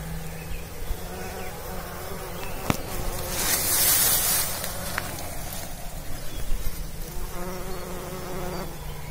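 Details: Buzzing bumblebee pollinating. A low steady hum that swells briefly into a louder hiss midway, with a couple of sharp clicks.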